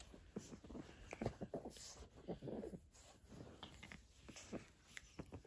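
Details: Bowser, an 8-week-old pug puppy, plays with a hair scrunchie indoors, giving quick soft snorts and little grunting puffs in short bursts, with faint chewing sounds between them.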